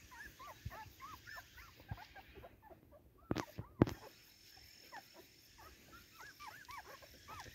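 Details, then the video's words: Cardigan Welsh Corgi excitedly playing during its garden debut, filmed 13 September 2024; rapid high whiny yelps rise and fall in arcs, with two sharp loud knocks midway through. "コーギー・カーディガン お庭デビューで一番はしゃいでいたのは・・・"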